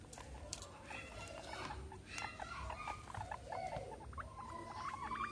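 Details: Two pet guinea pigs, Meadow and Sandstorm, during playtime with a soccer ball and an American football; short high squeaks and chirps with harmonics, ending in a longer rising squeal, over soft patter and rustling.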